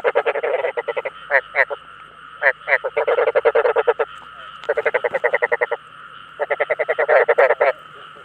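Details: Rice field frog calls meant to draw in other frogs, heard as fast runs of grating, pulsed croaks in four or five bursts separated by brief silences, about three croaks per second.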